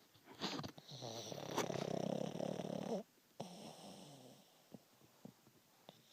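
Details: Pet pug named Waffle snoring loudly while asleep: a long rattling, buzzy snore over about two and a half seconds, then quieter breathing with small snuffles and clicks.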